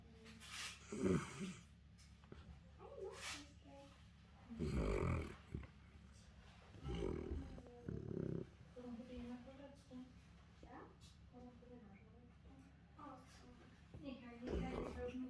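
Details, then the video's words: Central Asian Shepherd puppy snoring in its sleep: low, rough, breathy rasps in uneven bursts, a few longer and louder than the rest, with quiet human talking in the background. "My Central Asian Shepherd snoring 😴puppy"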